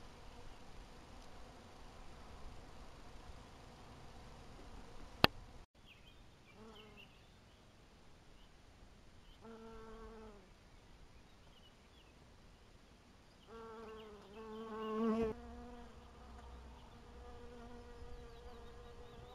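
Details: Apiary honey bees, 2012: bees fly past in separate passes, each a rich, nasal buzzing tone that swells and fades, growing louder around the middle of the recording over a quiet, hissy background.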